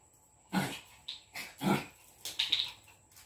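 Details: A Jack Russell fighting a Lhasa Apso, the scuffle intense yet funny: rough growling barks in quick bursts, four or five harsh noisy pulses within a few seconds, over a faint steady high whine.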